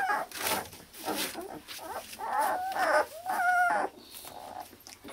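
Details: Hungarian Akita puppies born 16 November, from Kotono Go, awaiting owners; drawn-out wavering whines, rising then falling, between rustling noise.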